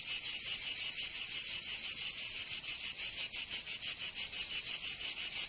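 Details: Summer cicada chorus from Provence in the south of France, a shrill, steady buzz pulsing roughly three times a second, the beats growing sharper and more distinct toward the end; nothing else can be heard.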